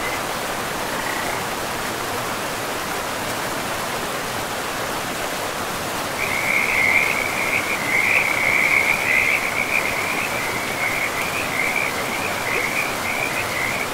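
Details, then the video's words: Frogs calling by a river in a pristine forest, a high trilling chorus that starts about halfway through and then runs on without a break, over a steady rush of flowing water. "River and Frogs sleep sounds"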